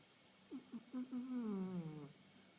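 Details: Asleep indoors, 1.5-year-old house cat Khaleesi gives a snore that opens with several quick soft catches, then swells into a sustained low, buzzy tone dipping downward before fading, in a quiet room.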